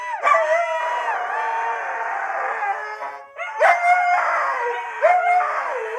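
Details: Husky howling: a sustained, quavering howl that slides gently downward, then two shorter yodelling howls, each starting with a sharp rise and swooping in pitch, in a clean, close recording.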